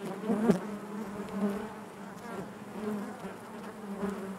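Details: Steady low drone of many honey bees inside a hive, even and unbroken, with a short louder buzz at the start from a nearby bee and gentle swells throughout.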